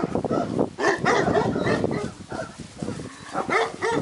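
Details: Several purebred Šarplaninac puppies from a breeding kennel yelping and whining together in a dense, continuous jumble of short harmonic squeals and grunting yips, with hardly a pause.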